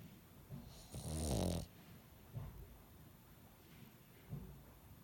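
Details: Dog snoring through a nose blocked by the after-effects of an illness: a loud, rough, rattling snore of about half a second, then softer short snorts spaced one to two seconds apart, in a quiet indoor setting.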